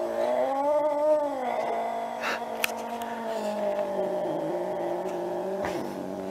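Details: Domestic cat from a cat fight compilation giving a long, sustained, low, moaning yowl that swells, then slowly sags and wavers for about six seconds, with a few faint clicks behind it.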